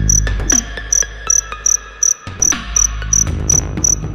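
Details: Captive crickets in a storage box during molting give high, short chirps repeated about three times a second, partly masked by clattering knocks, rustling and a low rumble.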